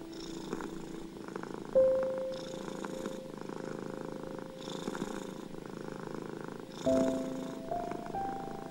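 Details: A domestic cat's purr rumbles continuously, with breathy surges recurring every second or so, while a few sparse, quiet piano tones ring out in calming music for anxious cats.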